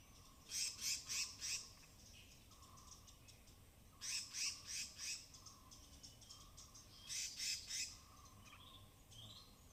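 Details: High-pitched vocalizations of native squirrels foraging on wet branches in Tamhini Reserve Forest, Western Ghats, binaural recording: three evenly spaced bouts of four to five piercing, rasping notes, roughly three per second, with a low steady drone behind.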